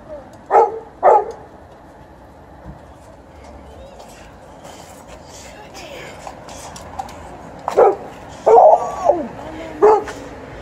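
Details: Golden Retriever and Alaskan Malamute dogs indoors awaiting treats from a relative: two short sharp barks early, then a quiet stretch, followed by a cluster of barks and a wavering whine-like yelp near the end, with a woman talking over them.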